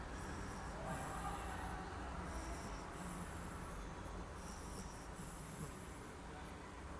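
An English bulldog puppy snores with a wheezy, hissing breath about every two seconds.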